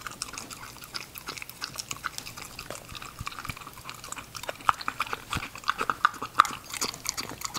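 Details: A female English Cocker Spaniel puppy eats food. Crisp, irregular crunching clicks and chewing run throughout, at about three per second.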